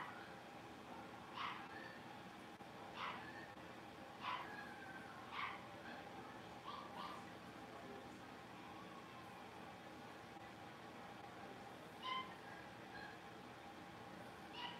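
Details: Blenheim Cavalier King Charles Spaniel puppies, a litter of five born at New Year, playing in an indoor puppy pen; short high yips and squeaky barks come in scattered bursts over a steady low room hum.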